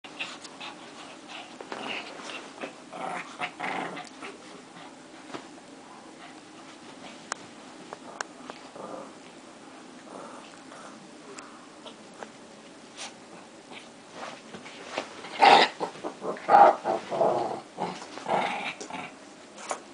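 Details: Two dogs fighting, with rough growls and snarls, quiet for long stretches and then erupting into loud, harsh bursts of snarling near the end.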